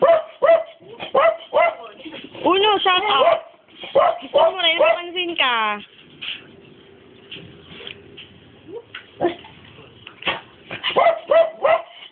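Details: Quick barks open, then whining yelps and a long falling squeal from a Dobermann, followed by a lull and more barking, while people talk over it.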